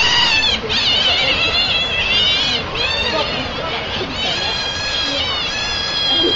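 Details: Hungry otters calling together in a dense chorus of high, thin, wavering squeals that overlap almost without pause, with a human voice faintly mixed in.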